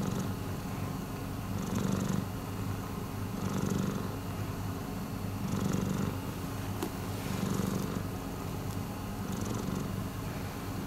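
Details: Miiko, a rescued domestic cat, purring: a steady low rumble that swells with each breath, roughly every one and a half to two seconds, with faint hiss at the peaks and no other clear sounds.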